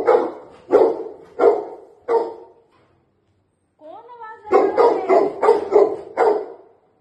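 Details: Labrador Retrievers greeting their owner after he was out of town for three days: four loud barks about a second apart, a brief whine, then a quicker burst of six barks.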